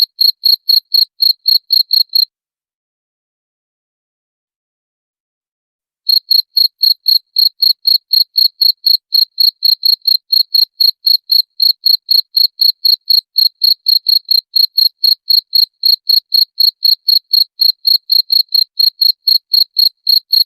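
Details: Cricket (jangkrik) sound meant for repelling rats: rapid high chirps for two seconds, about four seconds of silence, then an unbroken, metronome-like series of sharp pulses to the end.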